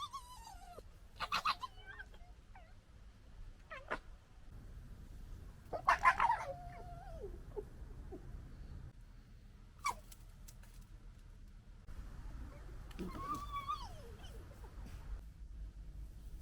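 Fox voices in a string of short calls: whining, downslurred cries and harsh, scratchy screams.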